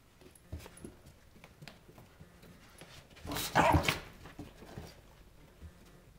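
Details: A Basenji meeting a Whippet for the first time gives one loud, strained, yodel-like vocal burst, with faint clicks and shuffling indoors.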